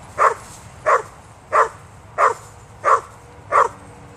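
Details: Vizsla Weimaraner mix, a female dog, barking after spotting a cat in a tree: six sharp barks evenly spaced about every two-thirds of a second, no other sounds.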